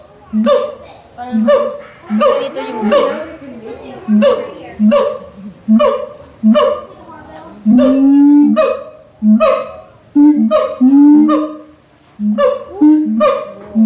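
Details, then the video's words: A siamang at the Los Angeles Zoo sings a loud series of resonant, hooting barks with a few long rising whoops. "Siamang Call / Song - Los Angeles Zoo"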